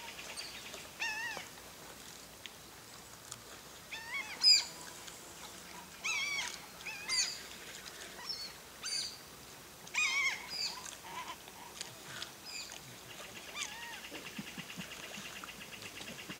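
Giant otters giving high, squeaky, wavering calls in short bursts.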